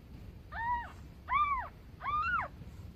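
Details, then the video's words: Newborn kitten beside its mother, giving three high, arched, harmonic meows, each rising then falling, spaced under a second apart, with a soft low background hum. "Newborn kitten meow."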